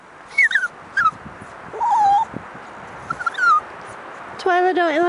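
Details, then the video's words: Six-month-old female Toy Poodle puppy Twyla, reluctant on her walk, gives short falling whimpers and a longer wavering whine, ending in a lower, buzzier drawn-out cry. "Adorable Toy Poodle puppy sings on her walk."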